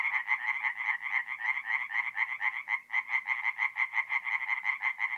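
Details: Tree frogs calling after dark from a forest pond in north-east Italy, mid-April: crisp, rhythmic croaks pulsing about twice per second in a clear beat, with one short dip near the third second, no other sounds.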